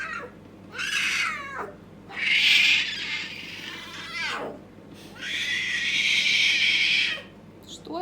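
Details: Luna, a leopard cub, gets angry and gives three loud, harsh, screaming cries, each lasting one to two seconds. The cries are rough and broad, and several end in a falling, sliding tail, with short pauses between them.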